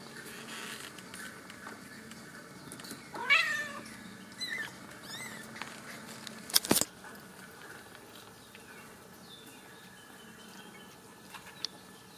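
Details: Young Ragdoll kittens in a central Kansas home cattery, raised without cages. One clear, bent kitten meow comes early, followed by a softer short call and a sharp knock, then quiet room noise.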